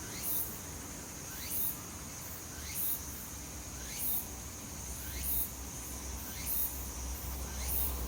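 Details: Tsukutsukuboshi cicada singing in Ozasa Kita Park, Japan: rhythmic phrases repeated about every 1.2 seconds, each a rising buzzy sweep ending in a sharp hissing burst, over a steady high insect hum and low background rumble.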